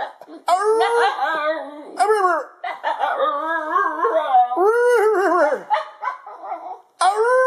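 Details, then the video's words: Basenji in a room giving a run of short, arched, yodel-like howls and warbles, broken by brief gaps, varying in pitch and often swooping upward then down. "Harley the Howling Basenji"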